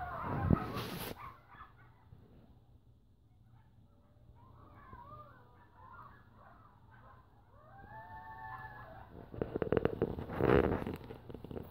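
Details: Coyotes calling close by and noisily: rising and falling howls and yips rise after a quiet spell. Loud rumbling bursts of noise sit at the start and near the end.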